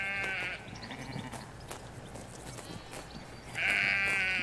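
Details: Sheep in a Hampshire countryside field, ewes with their lambs, recorded in stereo halfway along a hedge away from the road: two loud, high, harmonic bleats, one opening and one closing, with faint birdsong and low distant rumble between.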